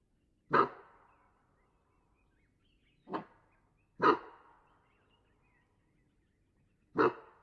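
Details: A Cape bushbuck gives loud, abrupt, dog-like alarm barks at irregular intervals in the Waterberg Biosphere Reserve, South Africa. These alarm calls are mostly given in response to a nearby threat such as a predator.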